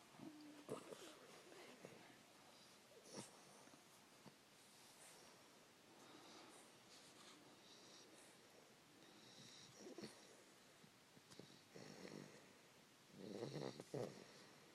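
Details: Fannie, a three-month-old English Bulldog puppy, asleep while snuggling with her owner around 5 AM; quiet, wheezy snoring breaths and snorts come in uneven bursts, with louder noisy rasps near the start and toward the end.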